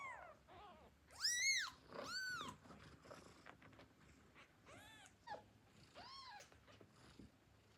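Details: Hungry newborn kittens give their first mews to call their mother for milk. Two loud, high, arching cries come early, followed by several fainter, shorter mews and soft shuffling.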